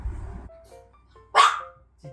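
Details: A 1.5-year-old Maltese at home gives one sharp, high bark at a stranger; it habitually barks at strangers and the doorbell, a learned habit of trying to control its space.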